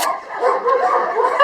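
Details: Jania, a female Labrador Retriever at the Kundelek animal shelter in Rzeszów, Poland, wags her tail while being coaxed closer; a wavering, nasal, whine-like vocal sound runs for over a second, ending in a sharp click.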